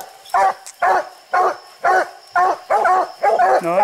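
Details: Hunting dogs barking treed at a raccoon on a steep, slick hillside where six raccoons were seen; loud, rough barks repeat about twice a second, the last ones ending in a rising, drawn-out bawl, with faint steady hum behind.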